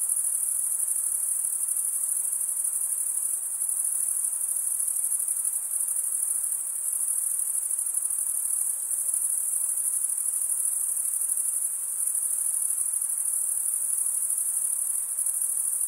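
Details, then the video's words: Many crickets chirp together, the males stridulating with serrated wing veins, forming a constant piercing high trill, evenly pulsed and steady in loudness, with no other sound. "Most relaxing cricket sound for 8 hours"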